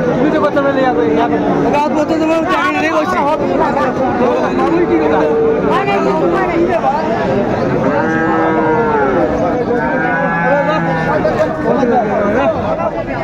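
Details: Friesian and crossbred bull calves for sale at the Raniganj cattle market in Dinajpur, 10 February 2025. Drawn-out, arching moos rise and fall near eight and ten seconds over constant crowd chatter and haggling voices.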